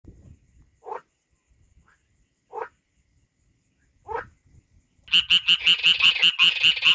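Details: A frog in the wild in Kurdistan gives short rising croaks, then breaks into a fast, rattling chorus of harsh pulsed notes.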